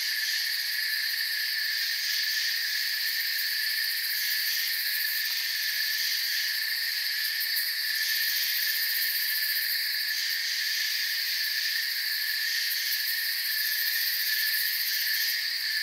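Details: A dense chorus of crickets gives a steady, high, shimmering trill that never pauses, in a calm forest at night.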